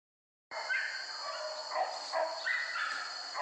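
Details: Hunting dogs in a forest, trained to hunt wild boar, give quick, overlapping yelping barks that run on steadily after a silent start, with a constant high insect-like hiss behind them.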